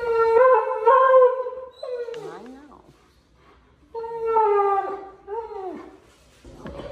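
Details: Alaskan Malamute, a big male dog at the vet's office, talking to the staff: long wavering harmonic howl-moans with a downward swoop at the end, two separate phrases about two seconds apart, a woman's voice in between.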